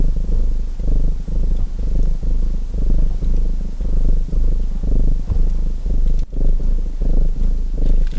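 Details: Low, throaty purr of a domestic cat rising and falling in even breaths about once per second, while a fireplace crackles softly with a few brief pops.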